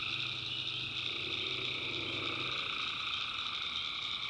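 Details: Tree frogs calling at night in a swamp in the backwoods of North Carolina: a dense, unbroken high trilling chorus, with low droning croaks underneath during the first two and a half seconds.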